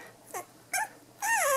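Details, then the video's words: Three-week-old Cavachon puppies: two faint short squeaks, then a louder drawn-out whine that dips and levels off. "Cavachon puppies"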